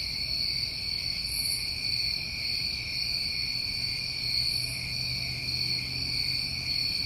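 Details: Summertime crickets in New England, trilling together in an unbroken, high-pitched drone that holds steady, with two faint brighter swells near the top of the range.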